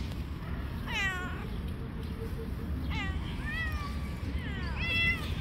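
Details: Stray street cat fighting other cats: three loud drawn-out wailing meows, rich in harmonics, rising then bending down, about two seconds apart, over steady low background rumble outdoors.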